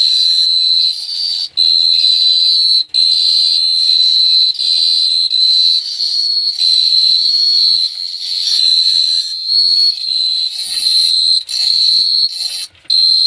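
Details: Nighttime cricket chirping in Phteah Prey, a long, loud high-pitched trill running almost continuously with a few sharp momentary breaks, slight pitch wavering, and little else audible.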